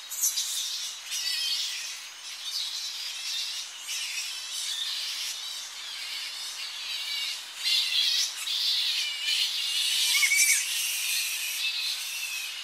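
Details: Close-up of a Tonga flying fox colony at dawn as bats come back to coastal roosting trees; continuous overlapping shrill squeals and chattering from many bats, rising and falling in waves, with a few higher whistled notes.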